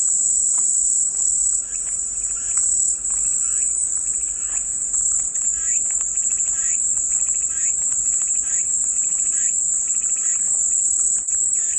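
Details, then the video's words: Unbroken high, hissing cicada chorus, a dense metallic buzz sustained for the whole stretch, backed by quieter chirping pulses repeated roughly twice a second, offered as relaxing white noise. "마음이 평온해지는 매미소리"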